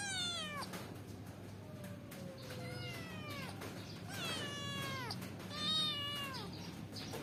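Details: Cute kitten clambering up a window to go out and play, giving a run of plaintive meows that slide downward in pitch, several in quick succession, over a low steady background hum.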